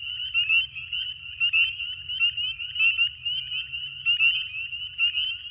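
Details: A dense spring peeper (Pseudacris crucifer) chorus in a swamp, high, piercing peeps overlapping into a constant shrill ringing.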